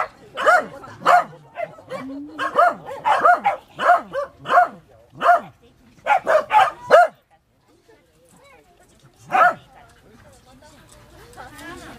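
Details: Corgi puppies Milk and Kokoro squaring off, recorded with a GoPro HD HERO2: a run of shrill, rapid yaps for about seven seconds, a pause, one lone bark, then quiet with faint shuffling.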